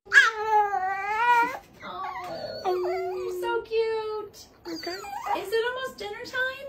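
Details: A pet dog that cannot quite howl gives a wavering, tonal howl of about one and a half seconds, then a string of shorter broken, bending yowls with pauses between them. Indoors, with a human voice nearby.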